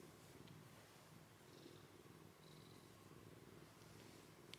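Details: Soft, steady low purring from a pet cat sleeping beside a kitten named Komugi, which was taken in as an emergency rescue from eastern Saitama in June 2024 and has an iris adhesion in its right eye. A quiet indoor room with faint ticks.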